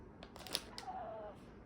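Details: Pet cat, one of the household cats, gives a single thin drawn-out meow, level then gently falling, over quiet room noise with soft clicks and a few brief background sounds.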